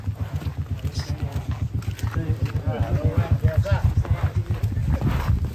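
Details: Large cattle, described as angry and wanting out of the pen, gives deep pulsed grunting bellows repeated about four times a second, with people talking in the background.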